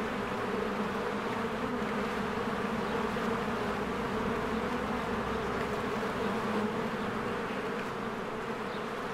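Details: Honeybees working at their hive in spring, flying in and out in large numbers. An unbroken, full buzzing hum with gently fluctuating texture fills the whole stretch, and no other clear sounds are heard.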